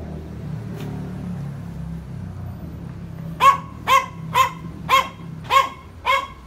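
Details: Yorkshire Terriers barking in order to provoke: about three seconds of low background hum, then a run of six crisp, high barks repeated roughly every half second.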